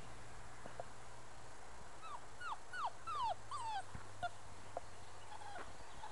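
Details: Five-week-old Muscle Mastiff pup, a future breeding prospect, giving a run of high whimpering whines, each sliding downward, about five in quick succession over two seconds, fairly faint against steady low background hum.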